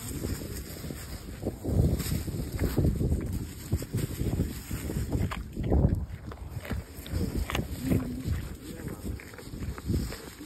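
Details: A fallow deer (Dama dama) in a park chews a carrot close by, with dull, irregular crunches and munching thuds.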